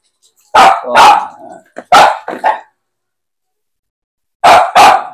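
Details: Pet Aspin dogs Max and Poly around bath time, a burst of about five loud, rough barks in quick succession, then a pause and two more barks close together; a person's speech is heard between them.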